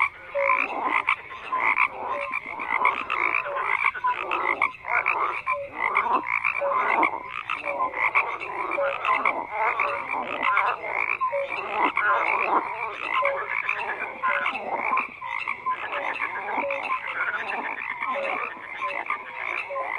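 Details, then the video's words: A thick, unbroken chorus of croaking frogs, many rattling, pulsed calls piling over one another for the full length, dotted with brief tonal peeps and nothing else audible. "FROGS CROAKING"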